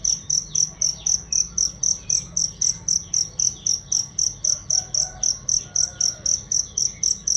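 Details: Training recording of a cricket for songbirds: bright, shrill chirps in a steady beat of about four per second, loud and clean, with faint distant chirrups behind.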